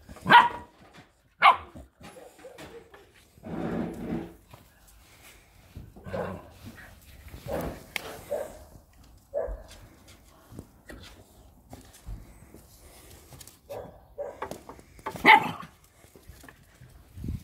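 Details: Staffordshire Bull Terriers playing with a new Patterdale Terrier puppy: sharp yips and short barks scattered through the clip, with rough growly bursts in between and Spanish speech in the background.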